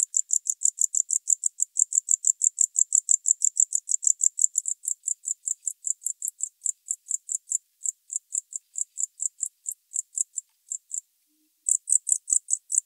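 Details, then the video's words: High, thin tropical house cricket song from Starnberg, Germany, 19 November 2021, a rapid run of sharp, evenly spaced chirps that softens slightly midway, breaks off briefly near the end, then resumes loudly. "Gryllodes sigillatus -- Kurzflügelgrille -- Tropical House-cricket"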